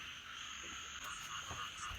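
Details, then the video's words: Frogs croaking very loudly at night outside a camper van while the area is flooded: a steady, dense chorus of high buzzing trills with no breaks, faint and distant-sounding throughout. "จะบอกว่าด้านนอกนะคะเสียงกบเสียงเขียดแบบดังมากๆเลยค่ะท่านผู้ชม"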